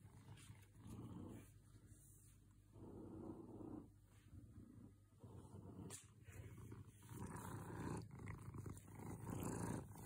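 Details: Very happy house cat purring: a deep, buzzing rumble that swells and fades with each breath, louder toward the end, with light handling noise.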